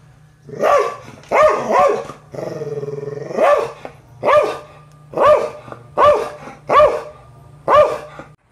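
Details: An 11-year-old senior Border Collie indoors gives a run of sharp, repeated warning barks, alert and angry at a cat in the house.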